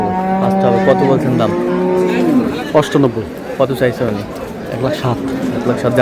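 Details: Cow with calves at Ambari Haat livestock market, Dinajpur, April 6, 2026, lowing in one long, level moo that falls away after two seconds. Buyers' voices and market bustle follow.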